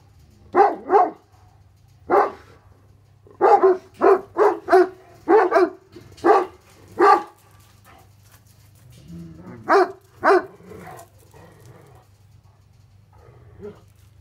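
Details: Two Tornjak livestock guardian dogs, Hattori Hanzo and Leksi, bark at an intruder they want to attack. Deep, harsh barks come in bursts of single and doubled woofs with pauses, over a low steady hum.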